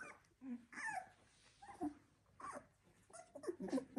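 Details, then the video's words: Sixteen-day-old Labrador Retriever pups from a single litter give scattered short whimpers and squeaky yelps separated by quiet gaps, ending in a cluster of louder squeaks. "Labrador Welpen Z2-Wurf 16 Tage alt"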